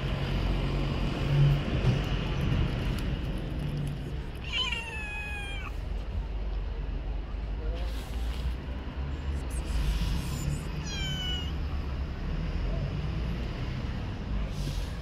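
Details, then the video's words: Stray cats living on the street: two meows, each a rising-then-falling harmonic cry near the middle and again after ten seconds, over a steady low rumble of traffic or street noise. "Cute stray Cats"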